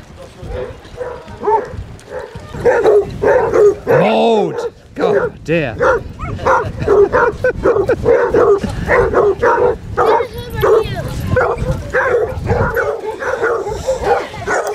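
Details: Twenty-four Basset Hounds walking Burnham and Berrow beach in Somerset on 2 February 2014 bark and bay almost continuously, many dogs calling over one another in a dense chorus, with people's speech and shouts beneath.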